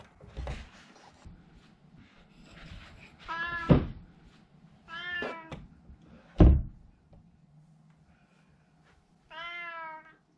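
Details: Russian Blue cat named Eiger, who sleeps alone at night, meowing indoors at bedtime: three clear drawn-out meows with rich stacked harmonics, spaced a few seconds apart, between soft thumps and handling noises.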